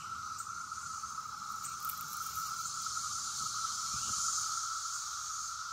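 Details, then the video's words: A massed chorus of Brood X periodical cicadas in Bloomington, Indiana makes a steady, unbroken drone with a hissing shimmer above it. "Sounds of the Brood X cicadas in Bloomington IN"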